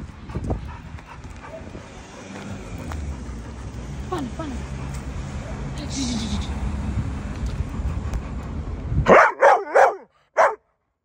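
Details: Pit Bull dogs: after a stretch of low rumbling background noise and faint voices, four loud, sharp barks come in quick succession near the end, then the sound cuts to silence.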